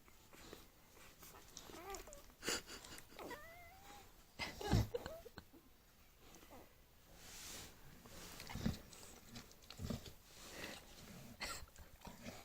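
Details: Bulldog puppies six days old whimpering in their sleep: thin, wavering high squeaks and short rising whines amid soft rustling and breathing.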